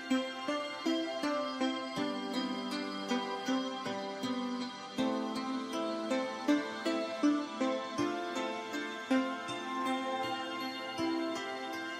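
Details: Soft, gentle instrumental music with plucked notes plays throughout, with no animal sounds.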